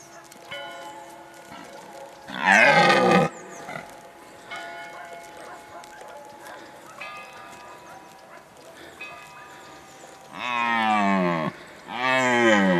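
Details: Red deer bellowing during the breeding season, recorded in 2019: two loud, harsh, drawn-out roars with rich stacked harmonics that rise then fall, each lasting a second or more, separated by a stretch of steady ringing bell tones.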